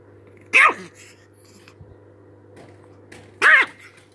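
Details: An angry chihuahua gives two sharp, high barks about three seconds apart, each with a quick falling tail, over a steady low hum and faint background noise.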